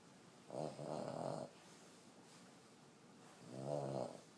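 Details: Fourteen-year-old female Boston Terrier asleep, snoring like a train: a long grating snore of about a second, a pause, then a second rough, swelling snore near the end.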